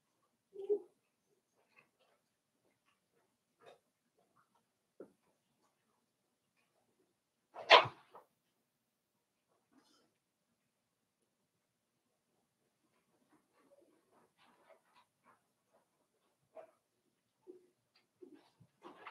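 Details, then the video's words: Daisy's five-week-old Cavalier King Charles Spaniel puppies in their indoor pen, mostly quiet, with one sharp yelp early, a single loud squeal near the middle and a few soft yips toward the end. "Cavalier King Charles Spaniel Puppies Livestream"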